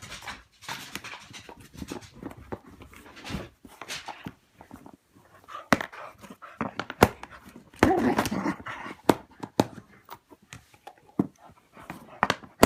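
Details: Tyler, a pet dog, plays wildly with a favourite cat toy indoors; quick rhythmic panting mixed with rustling, thumps and sharp clicks of the toy across the whole stretch.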